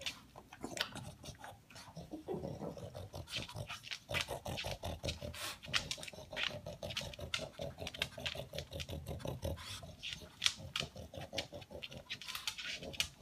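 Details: Male pug snuffling and snorting noisily while hunting for leftover food pellets, likened to a noisy vacuum cleaner: rapid, rhythmic bursts of breathy, raspy snorts in near-continuous runs, with scattered clicks and rattles of pellets.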